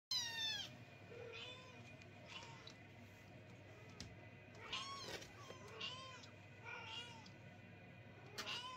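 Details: Several kittens crying at night and keeping their owners awake: high, arching meows overlap in quick bursts, some rising then falling, with soft clicks and a steady low indoor hum underneath.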